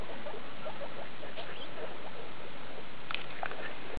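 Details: Skinny guinea pig mother Daisy with her babies from litter E2, born 2 August 2012, at the Luna breeding station, 19 August 2012; brief, faint high squeaks near the middle and a small cluster toward the end, over constant broadband hiss.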